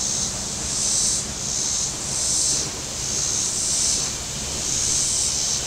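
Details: Cicadas calling from the shore of Table Rock Lake in southern Missouri on a very warm Saturday, with boats out on the water. A steady high hissing buzz swells and fades about every 1.3 seconds over a faint low rumble.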